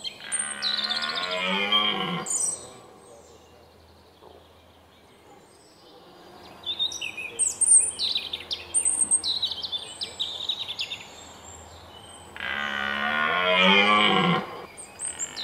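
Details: Red deer roaring at sunrise in the Weerterbos during the 2017 rut, recorded with a Panasonic Lumix GH4: two long, deep, rasping bellows that sink in pitch toward the end, separated by about ten seconds of chirping and trilling songbirds.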